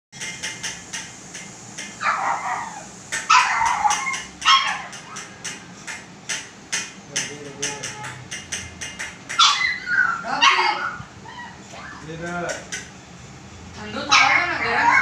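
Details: A female pug puppy gives short, sharp barks and higher yips in scattered bursts, with clicks and voices between.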